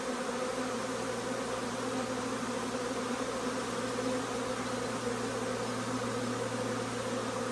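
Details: Arriving swarm of honey bees settling into a nuc box, possibly a Carniolan among them entering; unbroken droning buzz of many wings, even in loudness, with a faint steady low hum underneath.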